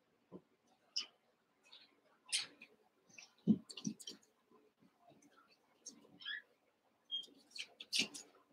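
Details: Eight one-month-old Cavalier King Charles Spaniel puppies wrestle and play in a pen: thin high squeals and yelps come in quick irregular bursts, mixed with low grunts, scrabbling and soft bumps of play.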